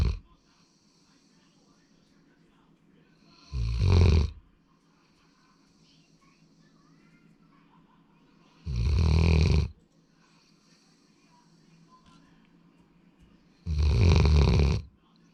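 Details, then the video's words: Male Labrador Retriever Sora, born February 2019, snoring while asleep: three deep, raspy snores about five seconds apart, each lasting roughly a second, with quiet breathing-room hush between them. "ラブラドールの いびき"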